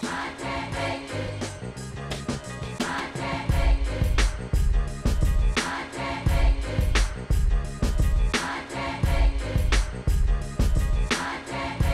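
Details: Choral music with singing voices and a driving beat plays throughout, and no animal sound is heard.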